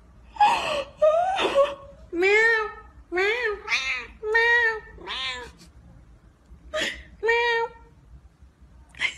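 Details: House cat meowing insistently: a series of around ten separate meows, some short and rising, others longer with a falling tail, spaced by brief pauses, clear and close in a quiet room.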